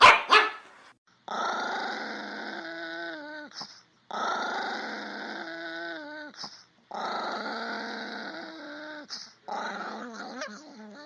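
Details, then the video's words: Chihuahua, a small dog breed, giving three long harsh growls of about two and a half seconds each. Each ends in a whiny tone that falls in steps. A shorter, broken fourth burst follows, with quiet gaps between them. "Tunog ng CHIHUAHUA | Sound of CHIHUAHUA"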